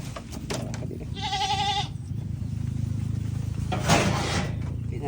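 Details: A goat gives a single wavering, quavering bleat lasting under a second, set against a man talking in Tagalog and steady background rumble.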